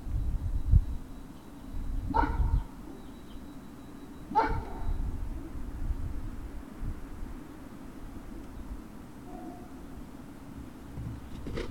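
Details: Great Danes recorded at Puppy Hill on the evening of February 19, 2019: two short, sharp barks about two seconds apart, followed by quieter faint sounds against a steady low hum and shuffling noise.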